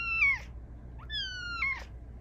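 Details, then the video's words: Female Bengal cat chatting at night, asking for attention and cuddles: two clear, high harmonic meows, each sliding downward, with a brief rising chirp between them, recorded indoors. "Cat with the meow that can't be ignored!"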